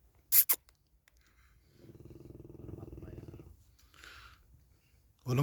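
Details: Cane Corso named Larissa snoring: a low, rattling, finely pulsed snore swells and fades over about two seconds, preceded by two sharp clicks and followed by a short soft hiss.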